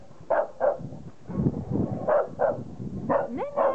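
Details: Female Chow Chow barking at her mirror reflection, taking it for an intruding dog in the garden, recorded 13 November 2009; short gruff barks in irregular pairs, with a woman's voice between them.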